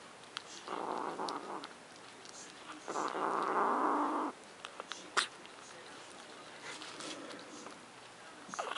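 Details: Guarding her macaroni and cheese, Luna the cat gives two low, rasping growls, the second longer and louder, then quieter murmurs with scattered clicks and taps.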